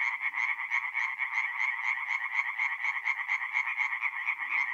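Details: Tree frogs singing at night at a forest pond in mid-April in north-east Italy; dense rapid chorus of nasal croaking pulses, about two per second, layered and overlapping from several frogs, no other sounds.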